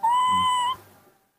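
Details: Indoors, a hand-raised baby monkey calls while waiting for milk in the morning: one pure, level whistled cry lasting under a second and ending in a slight upward lift, with faint low room noise.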